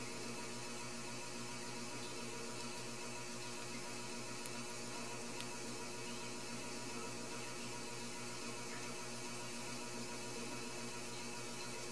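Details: Only a constant electrical hum and static hiss is heard, with a couple of faint clicks and no animal sounds.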